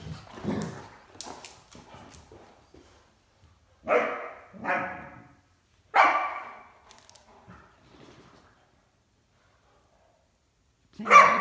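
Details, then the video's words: Great Dane and a puppy, Mikey and Ellie, playing hide and seek around a coffee table indoors; short harsh barks come in a cluster midway, then another at the very end, with scuffling and rustling of play between them. "Great Dane and Puppy Enjoy Playing Hide and Seek"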